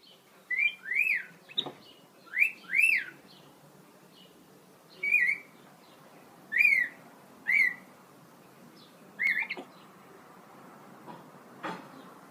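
A capuchin monkey gives high, thin whistled chirps, each note rising then falling, repeated in short bursts.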